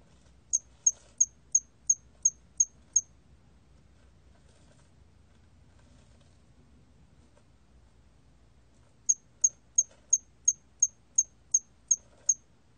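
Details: Bursts of thin, metallic chirps from a cricket, roughly three each second: eight in the first train, a silent gap of about six seconds, then ten more; Korean National Institute of Biological Resources recording, 2020, faint low noise underneath.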